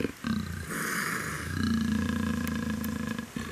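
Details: Young female black African leopard in heat for the first time, held at a breeding center, gives a sustained deep growling snarl after a brief pause, steady and rumbling for about two seconds, music faintly behind.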